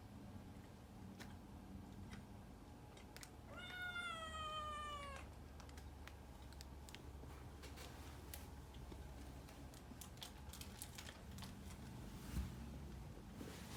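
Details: Puran, a pet cat, lets out one long meow that slides gently downward over about two seconds, set against steady soft clicking and tapping noises in a small indoor room.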